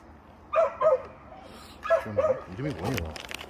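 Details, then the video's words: Tongtong, a chubby pet dog, barks at a new delivery driver because it wants to play. Two pairs of short, harmonic barks come about a second apart. Human speech follows near the end. "멀리서 무섭게 짖던 통통이가 초보택배기사에게 뛰어 온다!"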